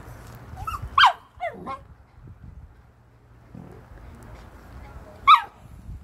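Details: Dogs, a Jack Russell and a Malinois, put together for a meeting: a few sharp, high yelping barks, two close together near the start and one more after a quiet stretch, over faint background rumble.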